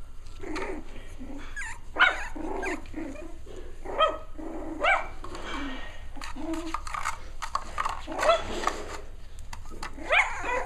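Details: Playful six-week-old Cavalier King Charles Spaniel puppies: scrappy little barks and rough growls come in short bursts, with squeaky yips between, from several pups romping at once.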